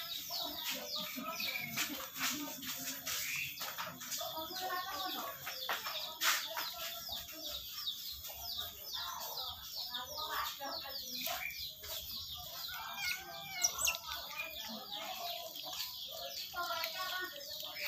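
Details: Several otters calling at feeding time: a steady stream of shrill, quick chirps and twittering squeaks, many voices overlapping without pause, with occasional clicks and knocks.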